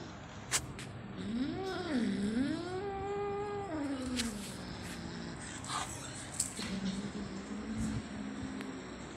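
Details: Spot, an angry kitten, gives a long wavering growl-yowl that rises and dips for about three seconds, followed by quieter rumbling growls; a few sharp clicks and handling noises around it.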